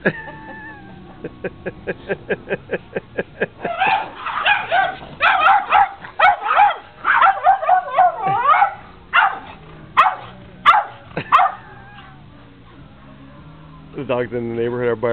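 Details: Whippet Nikita playing with the dogs Sally and Beyonce in summer 2009 in Dearborn, Michigan: a fast run of short yips that swells into clustered, harsh overlapping barks, then pauses before a final whining cry.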